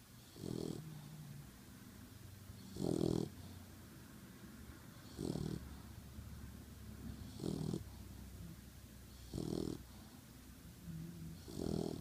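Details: Pitbull mix puppy asleep after a very hard day, snoring in steady low rasping bursts roughly every two seconds, each snore a broad rumbling breath with a faint hissy edge, quiet room between breaths.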